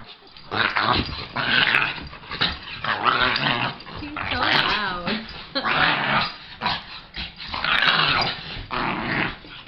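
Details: Lhasa Apso dog playing with another dog, rough, throaty growls and snarls in rapid overlapping bursts throughout, with a short wavering yelp-like tone midway.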